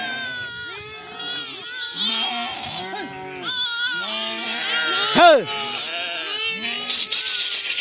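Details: Group of lambs on the run calling constantly, short arched bleats overlapping in quick succession, with one sharp high rising-falling cry midway and a person speaking in the background.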